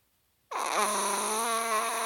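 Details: Snoring Chihuahua, asleep: a loud snore starts abruptly, dips from a higher whine and settles into a sustained, steady, reedy hum that continues to the end.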